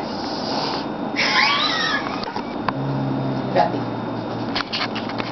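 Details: Archer, a pet cat, growling during play indoors: a brief high wavering cry rises and falls early on, then a low, steady rumbling growl holds for about two seconds, with light rustling and small knocks.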